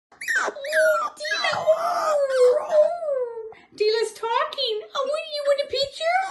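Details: Della, a six-week-old Pomsky puppy, 'talks' indoors in long gliding whines and yodel-like howls that rise and fall in pitch, pausing briefly midway, while a woman speaks encouragingly over her.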